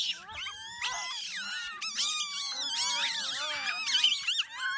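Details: Geladas at a campsite in the Simien Mountains give a busy chorus of high, wavering, moaning calls that rise and fall in pitch.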